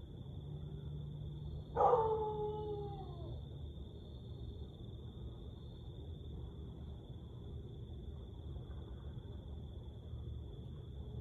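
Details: Siberian Husky howl at night, 1:49am, 30 May 2021: a single falling howl lasting about a second and a half, then quiet, with a constant high electronic tone and low humming background.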